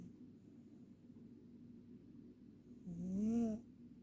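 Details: Snoring Ragdoll cat: quiet room hiss for nearly three seconds, then one buzzy, droning snore lasting about half a second that rises slightly in pitch before stopping.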